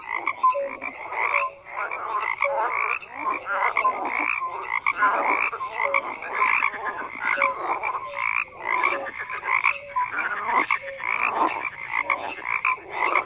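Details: A chorus of frogs, many croaking at once; rough pulsed bursts alternate with brief clear notes, the crowd swelling and easing every second or so without a break.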